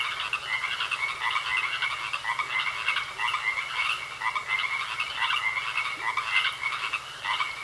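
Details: A thick chorus of frogs croaking in a pond, grating pulses tumbling over one another without pause, a thin steady whine held throughout.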